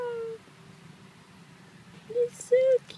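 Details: Two short, high whimpers from a four-month-old Chihuahua puppy held indoors, each a brief thin tone with a slight rise and fall, after a quiet stretch with faint room hum and soft talking.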